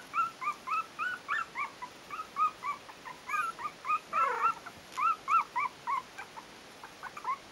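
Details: Four-week-old Yorkshire terrier puppies of litter A at the Stellar Garden kennel give a rapid, continuous run of high, squeaky whimpers, several overlapping, about three to four each second, over a low hiss.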